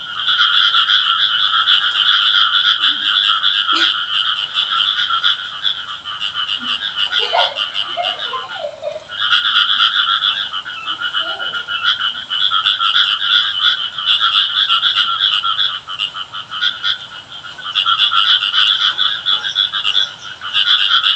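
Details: Village frog chorus on a rainy day, said to be calling the rain: dense, continuous buzzing croaks in rapid pulses, with brief dips between long stretches and a few scattered lower notes behind.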